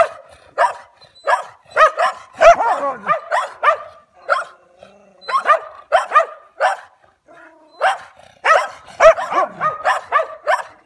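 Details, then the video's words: German Shepherd barking at stray dogs in irregular volleys of sharp barks, short pauses between bursts, and a low growl or two among the louder calls. "Nemački Ovčar Vs Dzukele"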